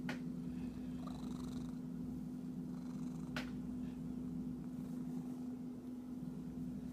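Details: Cat purring in a continuous low drone, with two sharp clicks or taps, one at the start and one midway, and faint scratching sounds between them.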